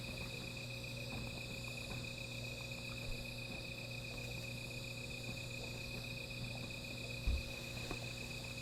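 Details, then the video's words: Night insects near a small fire keep up a continuous high, even-pitched trill with thin upper layers, backed by a low steady hum, faint crackles and one brief low thump near the end. "Sound of Insects"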